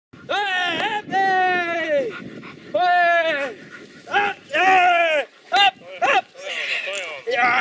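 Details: A Rottweiler in defense training gives a run of drawn-out, tonal barks that arch up and fall away.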